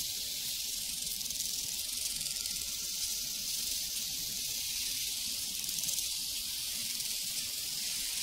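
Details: A thick wall of high, fizzing cricket song fills a prairie soundscape, unbroken and even for the whole stretch, with only a faint trace of a bell tone early on.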